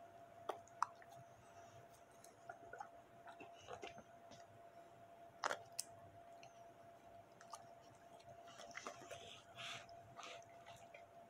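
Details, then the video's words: Bully dog eating steak, sticky wet chewing and crunching with scattered clicks and bites, a steady faint tone humming underneath throughout, indoors. "ASMR Bully/Dog eat Steak"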